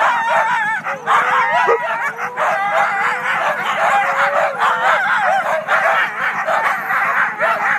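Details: First sled team of the day, all Siberian huskies, making a great deal of noise before the start in Klamath National Forest, California; an unbroken wall of overlapping howls, whines and yelps from the whole team.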